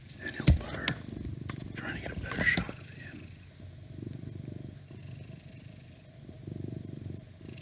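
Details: Twelve-year-old male house cat, the oldest of six and constantly shedding, purring while lying on a laptop indoors; a continuous low rumbling purr swelling and easing in waves, with brief whispering and rustling at the start.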